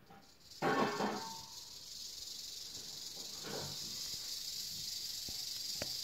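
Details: Eastern diamondback rattlesnake rattling, a steady high buzz running through the clip, opened by a short loud rustling burst near the start and a softer scuffling sound midway, with a couple of sharp clicks late on.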